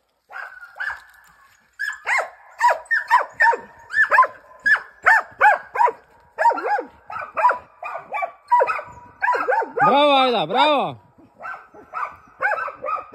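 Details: Two hunting dogs, a Brandlbracke and a Slovenský kopov, give rapid, high-pitched, yelping barks in a steady excited chorus while working wild boars.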